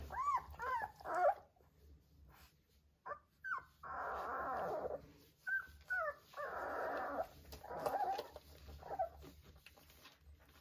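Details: Three-week-old Vizsla puppies playing with their mother: a few thin arched whines at first, then longer rough, noisy grumbles and growl-like sounds lasting about a second each, separated by quiet gaps.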